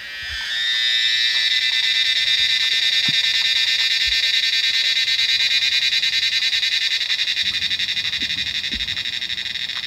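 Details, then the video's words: A large number of cicadas call from trees in the Himalayan monsoon, typical of the rainy season in the mountains. A steady, high, pulsating metallic drone swells up within the first second and holds, with a few faint low knocks. "Cicadas calling in the Himalayan monsoon"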